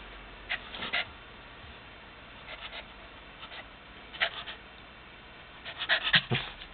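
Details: A playful female Lhasa Apso puppy makes short, breathy yips and snuffling bursts in quick, uneven clusters, June 2007.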